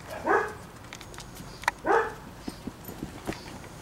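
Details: Standard Poodle puppies, seven weeks old, learning to relax indoors: two quick yelping barks early on, followed by light tapping and clicking sounds.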